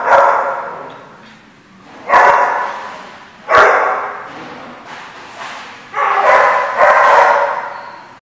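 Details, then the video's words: Dog barking at The Barking Lot on 12/5/14: five loud, harsh barks, the first after a long fading tail, the next two spaced over a second apart, the last two close together, over an otherwise quiet background. "The Barking Lot"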